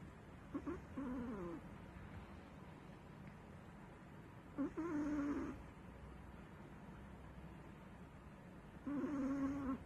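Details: Sleeping Chihuahua snoring: whistled, nasal tones wavering around a low-mid pitch, each lasting about a second, returning roughly every four seconds over a faint steady background hiss.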